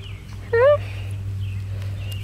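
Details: John Snow, a four-week-old 34% F2 Savannah kitten, gives one short rising meow lasting about a quarter second. Bright overtones stack above it, while birds chirp in the background over a steady low hum.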